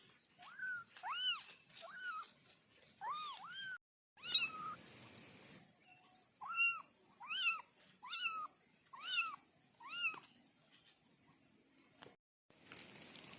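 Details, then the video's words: Kittens from a family of four calling in a sound test: a rapid series of about a dozen short, high, arched mewing cries in bursts, brief gaps between groups, faint steady high hiss throughout. "Kitten sound test"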